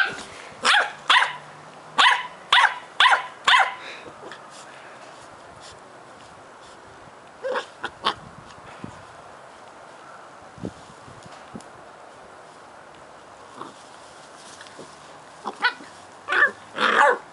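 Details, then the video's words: Two nine-week-old Cardigan Welsh Corgi puppies, brother and sister, play fighting in Adelaide, South Australia; a run of five sharp high barks opens, then scattered yaps and scuffling, with another burst of barking near the end. "Cute puppies Fos and Ebo play fighting again (Cardigan Welsh Corgi's; 9 weeks old)"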